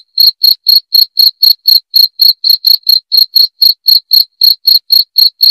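Sharp, high-pitched cricket chirps pulse steadily, roughly four per second, each a short trilled burst. The rhythm barely varies, and no other sounds break through.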